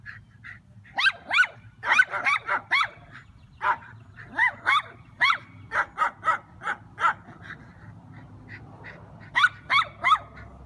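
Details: Schnauzer facing a turtle gives spaced, sharp barks mixed with higher yips, coming in uneven clusters with gaps of one to two seconds.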